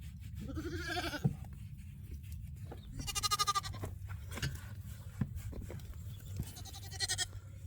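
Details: Homestead goats calling: a wavering bleat near one second, a longer quavering bleat around three seconds and a shorter one near seven, with knocks, shuffling and a low hum throughout.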